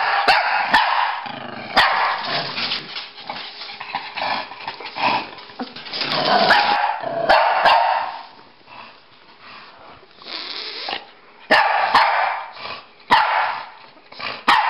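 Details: Pekingese and Bulldog, two pet dogs named Rocky and Bully, playing chase: irregular bursts of sharp, mid-pitched barks and yips, with short noisy scuffles and brief quiet gaps between.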